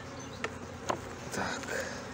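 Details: Honey bees in a colony in Brno, 2022, where an inserted queen cell was found chewed open: a steady low hum with a dense droning band, broken by a few sharp knocks and rustling handling sounds.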